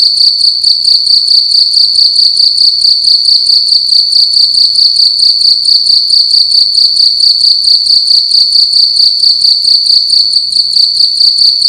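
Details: Cricket in a room at night, sounding loud and close: an unbroken shrill ringing song with a quick regular pulse, steady in pitch and volume the whole time.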